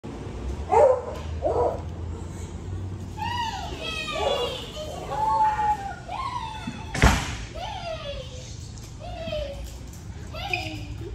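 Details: Doberman Pinscher. A Doberman Pinscher greets its owner with repeated high, wavering whines that swoop up and down, some breaking into short yelps. Human voices and a single loud thump are heard alongside.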